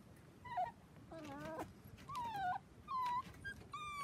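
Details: Four-week-old Dachshund puppies, seven in the litter, playing with children on a trampoline: thin, high whimpers sliding downward, each about half a second long, coming in short separated bursts with faint background rustle.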